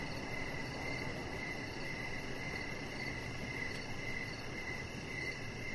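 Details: Crickets in the evening around a deck with a chihuahua puppy, Rocket, lit by decoration lights; bursts of pulsing chirps with brief pauses, a thin high trill and a low steady hum behind them.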